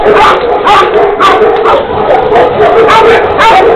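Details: Tibetan Mastiffs of the Xiang-He bloodline, a black female and a black and tan offspring, bark loudly and repeatedly, about two barks per second, deep harsh barks with strong overtones and some yipping tones.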